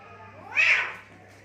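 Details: Fighting cats in Assam, India, scuffling by mud and water; a single loud, strained yowl swells and rises in pitch, then fades within about a second against a low steady hum.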